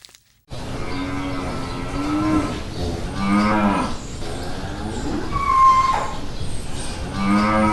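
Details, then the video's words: Cow lowing in long, deep, drawn-out moos that rise and fall, several overlapping across the stretch, over a constant noisy background. "Interesting sounds of familiar animals: cow"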